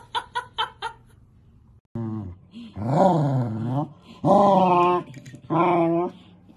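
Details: Pet Corgi dog indoors, making a series of drawn-out, whining howl-like vocalizations with rising and falling pitch after several short clipped sounds, each call about one second long, with a person speaking beforehand and music nearby.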